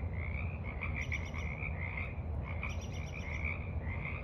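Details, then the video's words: Evening frog chorus at the edge of a forest pond on 28 March 2023: many overlapping trilled croaks merge into a dense, pulsing band, with a brief lull midway, above constant low background rumble. "Evening Frogs Croak in the Mud"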